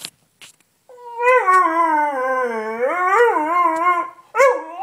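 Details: Sniffer the Beagle, a pet dog asking to be let up onto the bed, holds a long wavering howl of about three seconds that dips low then rises and warbles, ending in a short yelp.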